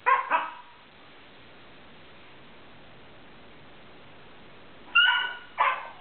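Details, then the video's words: Siberian Husky puppy from a rescue, making weird noises while rolling about on the floor, something it does often, even in its sleep; two quick, sharp, whiny yips at the start, quiet, then another pair of yelps near the end. "making weird noises"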